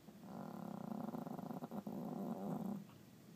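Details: Small dog snoring while asleep indoors: a low, rattling, purr-like snore that runs steadily for about two and a half seconds, with a fluttering pulse through it and a quiet room behind.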